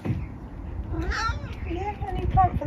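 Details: Pet cat Eric gives short meows while a woman talks to him about a new camellia plant for the garden; two brief tonal mews, the second higher and thinner, under her speech.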